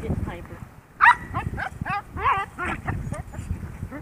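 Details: Mr. Max, a 10-week-old Yorkshire Terrier foster puppy, plays hyper and wild with his mother and siblings. Bursts of high, squeaky yips and whiny yelps, about one every second, over a person talking and handling noise.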